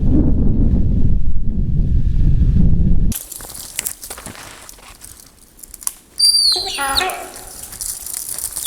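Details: A deer gives a sharp, high alarm call that slides steeply downward after low narration, at night in winter in the Russian Far East, as a large male leopard appears and feeds nearby.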